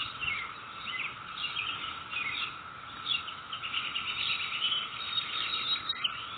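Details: Cicadas calling in a neighborhood on May 22, 2021: a steady, unbroken droning hum holds at one pitch throughout, while many birds chirp and twitter in short, high bursts above it.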